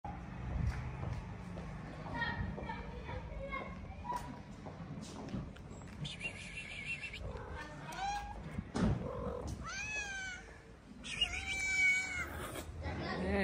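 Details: Hungry stray cats gather around leftover food on a plate in a street in Morocco. Several drawn-out, wavering meows rise and fall in the second half. A person talks throughout, with background street noise.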